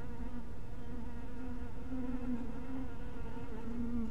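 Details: Continuous low droning of honey bees near a hive cottage at dusk, the hum wobbling slightly in pitch as bees circle, with a constant low background rumble.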